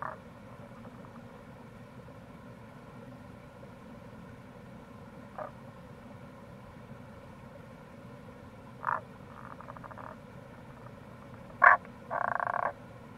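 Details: Tago's brown frog (Rana tagoi) calling in April near a gorge on the Kamo River, Itoshima, Fukuoka, Japan: scattered short pulsed croaks near the middle range, a sharp snap, then a longer rattling burst, over a steady low background rush.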